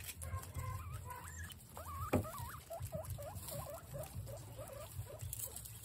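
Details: Guinea pigs reacting to capsicum give a run of high, wavering squeaks, rising and dipping in quick succession about eight times. Low rumbling and soft pattering from movement or chewing run underneath.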